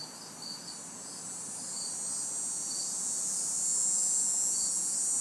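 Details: On a hot, humid summer night in a city backyard, crickets and cicadas form a constant high shrill drone with a few scattered soft chirps, swelling slightly in volume, over faint distant traffic.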